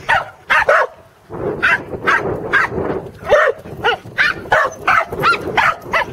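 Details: Sheep herding at Island Crossing Farm in Arlington, 3/27/11: corgis Teddy and Jack, on their second attempt, give a quick double yap, pause briefly, then keep up a steady run of sharp, excited barks.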